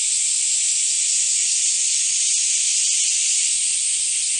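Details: Summer cicada chorus at Kiyomizu Temple in Kyoto, 2008. A dense, hissing drone, loud and unbroken from start to finish, with no other clear sounds.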